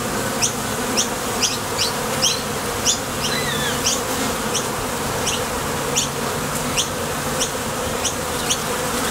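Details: ['Honey bees flying to and from the entrance of a Top Bar Hive while foraging for nectar: a continuous low buzzing drone, with short high chirps repeated about every half second and one faint wavering whistle.']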